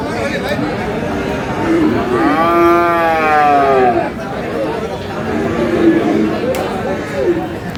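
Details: Friesian and crossbred bull calves at the Aftabganj haat livestock market in Dinajpur, Bangladesh, on 22 July. A drawn-out, tonal moo rises and then falls in the middle. Fainter moos follow, over the steady chatter of buyers and sellers bargaining.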